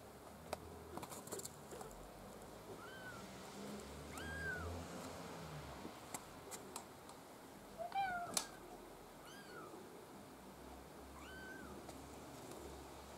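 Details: Maine Coon kittens from a litter of five born 6 August 2015, coloured black-white and blue-white, give thin, high mews with short rising-falling arcs, spaced a second or two apart.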